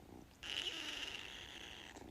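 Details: A pet cat holds a long, steady, high-pitched squeaky call for about a second and a half, fairly even in tone, set against faint room hiss with no other voices during the sound.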